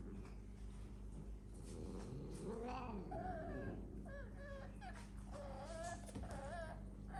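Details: Domestic cats kept in a house alongside exotic animals, giving drawn-out wavering yowls that rise and fall in pitch, several overlapping wails in sequence over a steady low hum.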